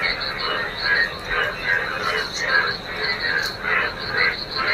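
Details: A crowd of frogs in a waterlogged field after rain, morning, croaking in swelling bursts about every half second above a constant shrill trill.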